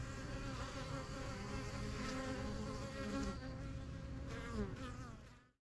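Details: Honey bees at a busy yellow hive in a backyard, newly installed in spring 2023; thick low buzz with a few individual bees swelling louder near the end before fading.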